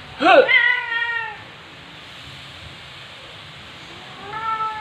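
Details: Black female cat in heat, calling indoors on a September afternoon: an intense wailing yowl that bends up then slides down, followed by a long silence and a second, softer drawn-out meow at the end.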